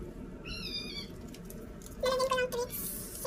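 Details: Pet cat in the Philippines meowing at feeding time as a sitter serves breakfast; one steady, bright meow lasting half a second, then a louder wavering call, with a woman's voice and rustling plastic around it.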